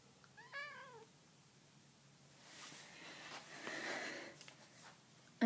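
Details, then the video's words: A pet cat talking with its owner indoors: one clear rising-then-falling meow with bright harmonics near the start, followed by quiet room noise, faint background music and soft rustling. "Talking kitty cat"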